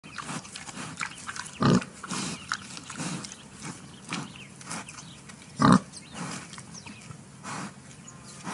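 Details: Wild boar in a clearing near the forest: soft, low grunts through a rustling background, with two louder, harsher grunts about four seconds apart and fainter snorts between them.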